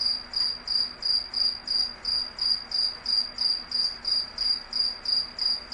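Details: Cricket chirping steadily, short high pulses repeated about three times per second with even rhythm, a faint low hum underneath and no other sounds.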